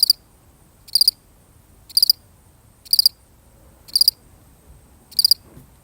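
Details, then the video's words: One lonely cricket chirping alone, a real recording: six short pulsed high chirps, evenly spaced about once a second, each a tight cluster of three or four rapid pulses against a quiet background. "The sound of one lonely cricket"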